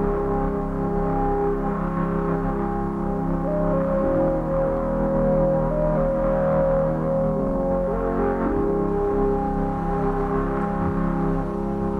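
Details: Low, sustained instrumental music with droning tones and steady harmonics, and no animal voice anywhere.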